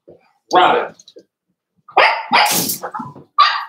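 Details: Cavalier King Charles Spaniel puppies at play indoors: a loud rough bark, a pause, then a tumbling burst of barks and growly yaps overlapping one another, ending on a sharper yelp.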